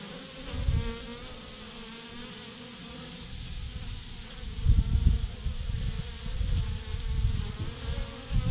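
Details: Honey bee swarm, thousands clumped together on a branch, hum continuously. A low, even drone sits beneath heavy gusts of wind rumble that swell in the second half.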